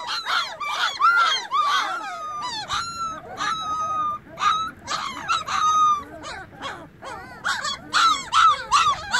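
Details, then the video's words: Young puppies with newly opened eyes keep calling their mother, who has wandered off. Piercing, bent whines and sharp yips follow in irregular rapid bursts from several pups at once. "Anak anjing menggonggong panggil ibunya"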